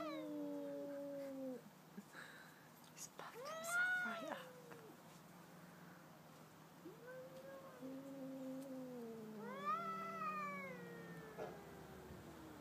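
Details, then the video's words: Two domestic cats, a pet and the neighbour's cat, facing off: low descending moans, a louder rising yowl near four seconds, then long drawn-out howls and a high wavering wail around ten seconds. "2 cats singing/talking!"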